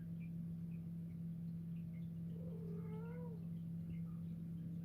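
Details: A white pet cat fixated on something tiny on the ceiling gives a single soft, drawn-out meow that bends downward, quiet against a constant low hum indoors.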